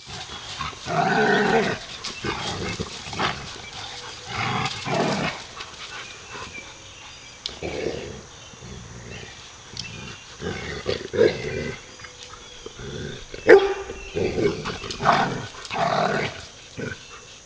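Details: Three dogs, two rescued adults and a young puppy, romping together: bursts of rough, noisy play growls and short barks recur every few seconds between quieter pauses.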